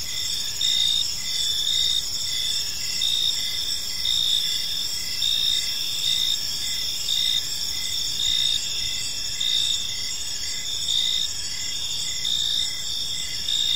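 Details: In a serene park at evening, crickets produce a constant high, ringing trill layered with rhythmic lower chirps at a steady pace of roughly one per second, no other clear sounds.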